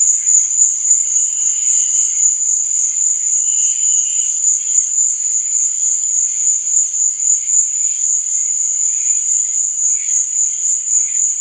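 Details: Crickets at night give a steady, high, rapidly pulsing trill that never stops, with softer lower chirps drifting in and out beneath it.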